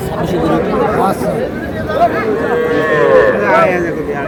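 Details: Market calves, small bulls and heifers bought by a farmer in Madaripur, Bangladesh, 17 February 2026; a short wavering moo stands out late amid dense human chatter and bargaining voices.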